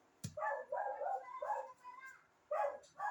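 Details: A noisy dog gives four or five loud, mid-pitched, harmonic barks, some drawn out into whining yowls, in quick bursts with short pauses. A sharp click comes just before the first bark.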